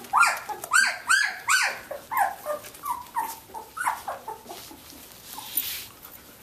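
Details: Samoyed puppies, 17 days old, from mother Athena's litter of ten, squirm and play indoors; a run of high, arching whimpers and squeals, several in quick succession at the start, then softer, lower whines fading out.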